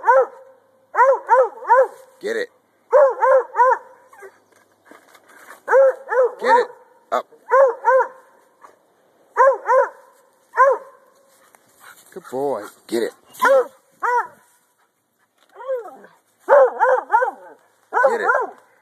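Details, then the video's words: Male Treeing Walker Coonhound treeing, barking steadily in quick pairs and triplets of arched, ringing barks for nearly twenty seconds, with brief human speech between bursts. "Duke The Treeing Walker Coonhound"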